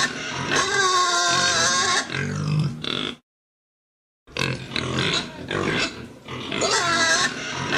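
Pigs give harsh, high squeals mixed with low grunts, broken by a brief silent gap.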